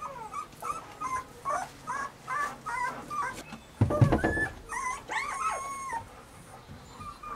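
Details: Weimaraner puppies Bailey, Hailey and Jenny whimper in a regular series of short high wavering whines about every half second, then a thump and louder overlapping whines.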